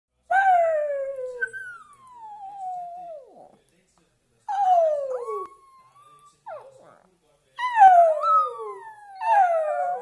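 A Shih Tzu sings in long, wavering howls that slide downward, with brief pauses between phrases.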